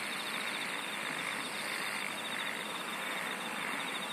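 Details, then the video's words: A steady insect chorus of rapid pulsed trilling in a narrow high band, with a hissy, noisy background throughout. "SINGING OF INSECTS"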